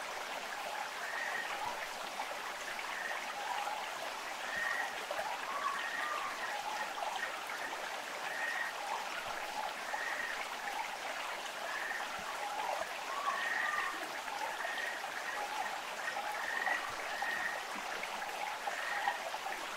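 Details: Ishikawa's frog on Amami Ōshima, Japan, calling beside a rushing stream: short hoarse notes around a brief rising whistle, repeated roughly every one to two seconds over a steady wash of flowing water.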